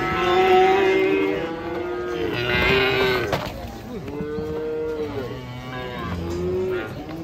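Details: Cattle herd lowing: several cows give stacked, wavering moos that overlap and arch up and down in pitch, loud and continuous across the whole stretch.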